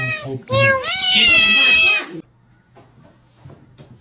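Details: House cat letting out a loud, insistent string of meows, the first short and the last stretched into a long, high, rising-then-level cry, then near silence with faint low hum.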